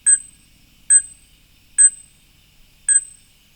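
A fruit bat gives sharp, metallic, bell-like pings, four in a row about one second apart, in an otherwise quiet night.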